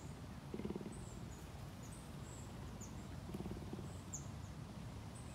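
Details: Cougar in a Florida big cat sanctuary near Tampa purring: two brief low, stuttering pulsed bursts nearly three seconds apart, with birds chirping faintly in the background.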